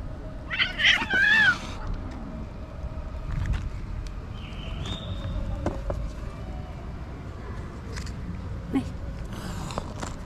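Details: Grumpy, fierce female stray cat wanting to attack the person feeding it; a loud wavering drawn-out meow near the start, then quieter faint calls over a low rumbling background.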